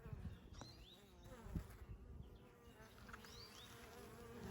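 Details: Western honey bee workers from a three-pound package installed eight days earlier, flying at a Layens horizontal hive entrance in Wisconsin on an unusually warm May day, some returning with pollen loads; steady low buzzing with brief knocks and faint high chirps.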